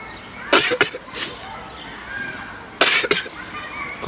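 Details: An ill goat coughing: two clusters of harsh, broadband bursts, three quick coughs near the start and two more a couple of seconds later, with quiet background hiss between them.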